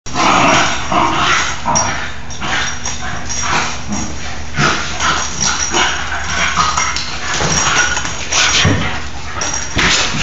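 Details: Two nine-month-old Basenji sisters playing wildly indoors on a rainy day, crashing around the house; rough bursts of growling and yipping mixed with scuffling thumps over a steady low hum, a woman's voice urging calm just after.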